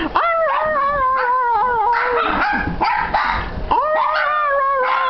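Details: Two Shih Tzus "sing," howling in long, wavering tones that slide down and rise again.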